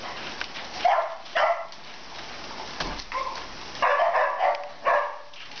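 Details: A 34-day-old puppy from a litter, recorded 24 January 2015, gives short, sharp, high-pitched barks and yips in irregular bursts, about six across the stretch, over a low background hiss.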